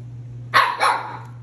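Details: A talking Siberian Husky indoors, after being given ice cream: two short, bright, yodelling yelps in quick succession over a constant low hum.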